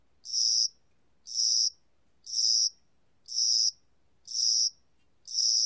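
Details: A spring-and-summer cricket, 2020 recording from the National Institute of Biological Resources, gives six shrill trilled pulses in under six seconds. The pulses repeat steadily at about one per second with near-silence between them.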